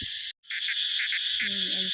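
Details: A caught male cicada calling in the hand around 10 o'clock, found in forest in Laos; continuous loud, high-pitched shrill buzz with pulsing bands, broken by a brief dropout near the start, faint low rustling beneath.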